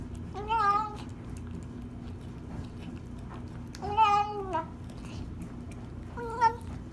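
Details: Female kitten rescued after five days stuck in a tree, eating her first meal, gives three clear harmonic meows about every two to three seconds over a low steady hum.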